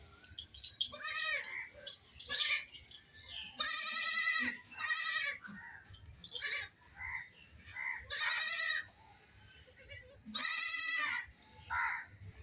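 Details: Playful baby goats bleating repeatedly, a lone kid crying without its mother: a dozen quavering calls, some long and loud, others short and softer, spaced irregularly over quiet gaps.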